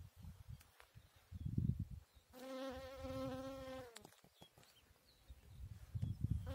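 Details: Bee busy on a chicory flower: a sustained, even buzzing hum lasting nearly two seconds, sliding slightly lower as it ends, set against low rumbling background noise and occasional clicks.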